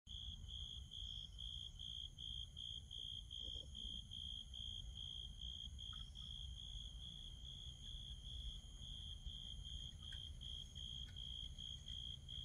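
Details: On a night on Jeju, a steady, high, pulsing chorus of insects fills the air, with a low rumble underneath.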